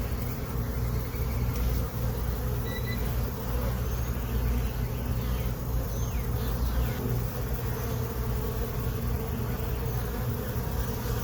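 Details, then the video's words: A dense, steady drone comes from honey bees on new comb during a late-afternoon inspection of a hive they entered on April 29, 2022. Faint higher whines of individual bees flying past rise and fall over the hum. "Honey Bee Hive Inspection"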